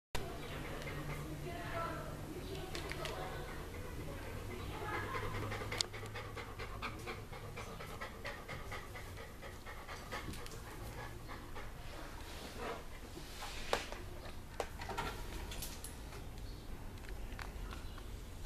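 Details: A female Weimaraner, seemingly afraid of a Blu-ray player, pants in quick, breathy bursts while a person talks nearby over a low hum.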